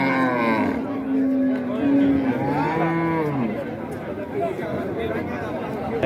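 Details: Cattle lowing at a cattle market in Raniganj, Dinajpur, Bangladesh, 2025; long droning moos with steady harmonic bands, one rising then falling near the middle, under busy crowd chatter and talk.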